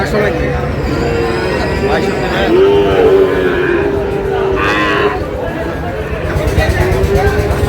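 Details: Young bull calf lowing at a busy cattle market in Narsingdi, Bangladesh, on 6 July, where a farmer is buying the smallest calves; a short harmonic moo wavers mid-clip over a steady din of voices, bargaining and market bustle.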